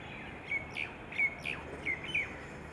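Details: Indian palm squirrel, also called five-striped palm squirrel, giving sharp, high chirps: short bird-like notes with a quick upward flick, repeated about every 0.7 seconds, over quiet outdoor background.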